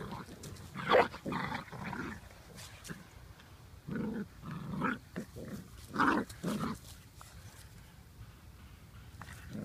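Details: Blue Lacy puppies, a brother and sister, playing in a yard; short bursts of growly, yippy play noises come in clusters, louder around the one- and six-second marks, with outdoor background noise.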